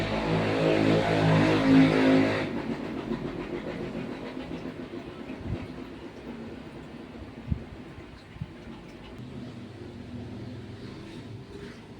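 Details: Rumbling vehicle noise, loud in the first seconds and then steadier, with a few sharp knocks and clicks; no animal voice is heard.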